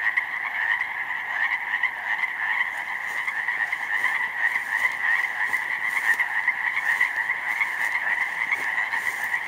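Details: Countless Pacific chorus frogs singing in a snowmelt-flooded slough meadow in May; an unbroken mass of rapid overlapping ribbits holds steady throughout, with brief clicks and crackles scattered above the chorus.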